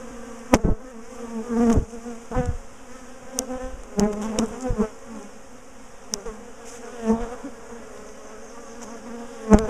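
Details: Bees of a big colony in a garden top bar hive, known for ambushing and chasing their owners, hum steadily as the hive is dismantled, split and moved; sharp knocks and clicks from handling the bars break the even drone.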